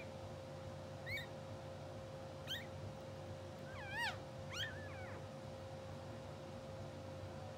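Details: Two-hour-old English Bulldog puppies from a blue sable litter, sleeping, twitching and dreaming on a live puppy cam, give a few brief high squeaks with bent, wavering pitch, scattered over several seconds above a steady low hum.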